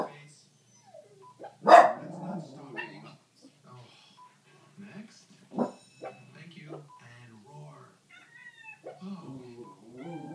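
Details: A West Highland White Terrier barks a few sharp, loud barks at animals on a television, over TV sound and human voices, the only one of three dogs interested on this second viewing.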